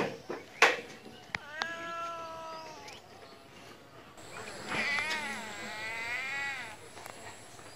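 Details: Cat meowing twice: a short, slightly falling meow, then a longer wavering, whining meow that rises and dips in pitch, over a hissy background with a few knocks.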